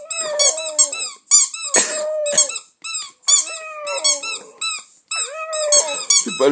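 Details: Indoors, a two-month-old Staffordshire Bull Terrier pup sings along while played with using a toy: steady drawn whines broken by short rough yelps, with bright repeated toy squeaks throughout.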